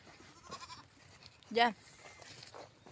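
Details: Goat out grazing while being herded by a river gives one short, loud, wavering bleat midway, with a man talking quietly to it before and after.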